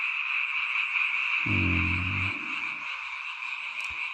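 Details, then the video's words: Many frogs croak at night near a mountain village in a seasonal chorus heard only at this time of year. A steady high trilling wall continues while a brief low droning hum rises and fades partway through. "잠이 오지않은 밤 개구리 소리와 잠을 청해보세요"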